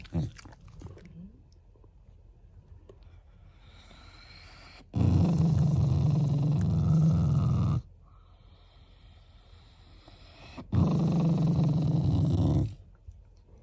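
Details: Shiba Inu family dog growling out of affection rather than anger: two sustained, low, gravelly growls of roughly two to three seconds each, with near-quiet stretches before and between them.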